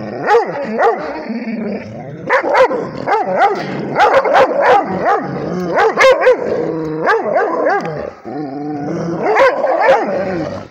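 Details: Rhodesian Ridgeback barking at a tablet, a near-continuous run of yappy, high barks and yips across ten seconds, interspersed with short whiny moans, barely pausing.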